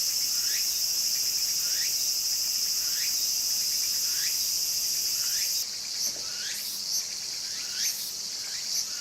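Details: Walker's cicada calling busily in a garden, rising sweeping phrases repeating roughly every second over a continuous shrill buzz; partway through, the bright hiss drops back and the pulsing chirps continue more distinctly against a quieter background.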